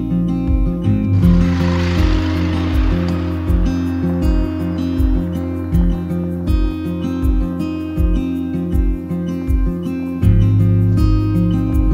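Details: Acoustic guitar music with a steady plucked rhythm and a brief hiss of background noise early on, with no animal sound.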